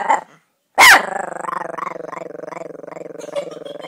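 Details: Small Chihuahua giving a low, pulsing growl that rumbles steadily for about three seconds, set off by a single sharp bark near the start.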